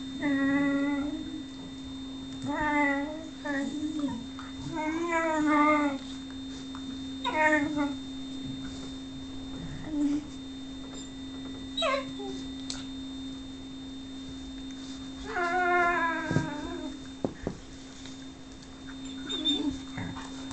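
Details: Whippet Lux pleads for Sophia's attention with a string of tonal, sing-song whines, each wobbling up and down and spaced a second or two apart, over a constant low electrical hum.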